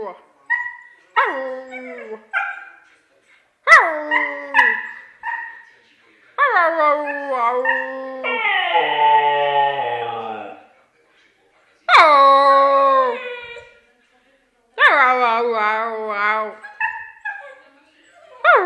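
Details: Siberian husky singing in long, wavering howls that slide down in pitch, with warbling, quavering stretches and a few short yips between drawn-out notes separated by silent gaps.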